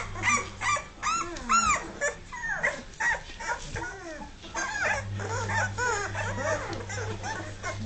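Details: Litter of Dogue de Bordeaux puppies aged two and a half weeks, just starting to walk; a chorus of high curved whines and short yelps rises and falls without pause, over a steady low hum.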